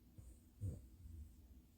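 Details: A pet Bulldog snoring: one low, breathy, rumbling snort near the middle, quiet and deep, framed by softer low breathing noise before and after, with nothing else clearly heard.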